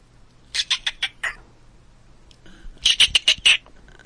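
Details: Chipmunk giving two bursts of rapid, sharp chirps, about five notes each, separated by a short quiet pause.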